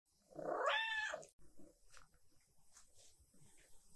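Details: Star, a tuxedo cat perched on a chair back while waiting for treats, gives one drawn-out, strained meow lasting under a second, followed by quiet room noise and faint rustling.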